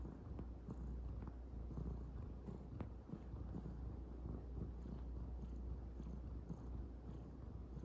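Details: Kneading calico kitten, also tagged as a cat slipping into a futon, giving an unbroken deep purr with a grainy rumble and a few faint clicks and taps above it.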